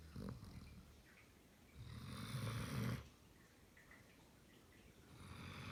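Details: Sleeping German Shepherd snoring indoors: a soft breath, then one long, rough, rumbling snore lasting about a second, followed by quieter, airy breathing.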